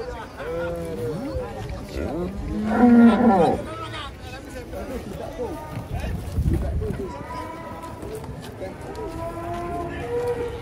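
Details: Cattle unloading from a truck at a market, with a deep drawn-out moo at the start and a loud bellow near three seconds, further lowing calls later, amid crowd chatter and men's voices.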